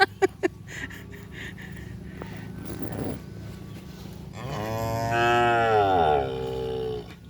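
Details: Cattle gathered for kerapan sapi bull racing at a field in Asemanis: a long, loud moo of about two seconds rises and fades, after a few sharp knocks and low crowd noise.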